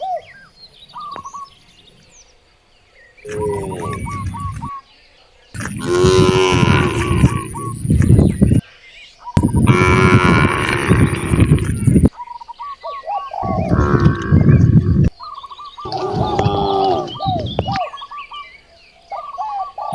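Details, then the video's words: Village cows, hungry and facing wide rice fields, low long and loudly, one drawn-out moo after another with short gaps. Small birds chirp in quick repeated notes in the background. "The sound of hungry cows mooing towards the vast rice fields"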